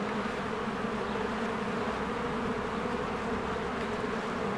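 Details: Honeybees in spring, swarms flying in and out of their hive among blooming flowers, making a dense continuous buzzing hum with steady low drone bands and no breaks.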